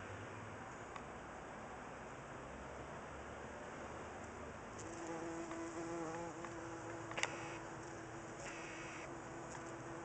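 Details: Bumblebee zipping around flowers in a garden in a gentle breeze: a faint, steady, low droning buzz that sets in about halfway through and holds to the end, over a constant background hiss.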